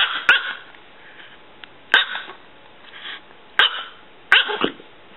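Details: Six-year-old female miniature chihuahua, under three pounds, letting out four shrill, snappy barks spaced roughly one to two seconds apart, each short and bright with a faint trailing whine; no other sounds.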